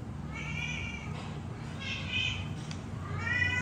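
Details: Hungry kittens, three together, calling for milk with three bright, drawn-out mews in quick succession, the last one climbing in pitch, against a soft low background drone.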